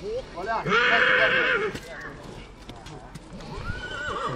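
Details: A mare from Satu Mare, Romania, gives a loud, harsh whinny of about a second with a bright band of harmonics, then fainter rising and falling calls, while people talk over it throughout.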